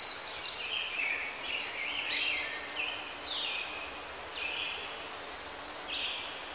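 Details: High-pitched twittering from squirrel monkeys, short falling squeaks and chirps stacked in quick clusters, busiest in the first four seconds and then thinning to scattered single notes.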